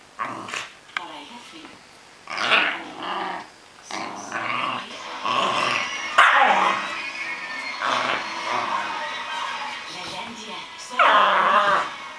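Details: Cairn Terrier having fun, producing a run of growls and yippy, harsh play noises that build into a long, continuous rough growl, with people talking over it.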